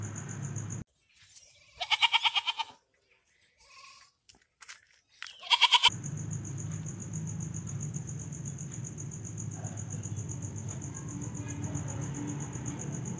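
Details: Goat, a medium-sized ruminant, bleating twice with short nasal calls rich in overtones, the first about a second long and the second briefer. Soft clicks fall between the calls, and a steady low hum and a faint high tone follow.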